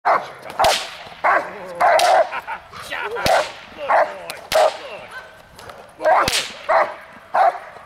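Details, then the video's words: Hunter, a dog and grandson of Congo Vikar, drilling the hold and bark and outs in protection training on May 19, 2020; loud harsh barks in rapid bursts, about ten in eight seconds, with sharp cracking snaps between them. "Hunter Working On The Hold & Bark and Outs (Protection)"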